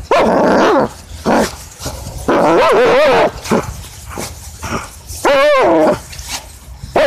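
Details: Playing tug, German Shepherd Jager lets out loud barks and a wobbling, warbling whine, then a strong yelping bark, amid thumps and rustling.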